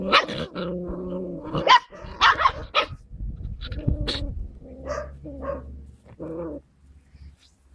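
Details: Several Skye Terrier puppies on 5 June 2016 let out a tangle of tonal whines, rough growly yaps and sharp barks, loud and overlapping at first, then thinning to a few scattered yelps before falling quiet.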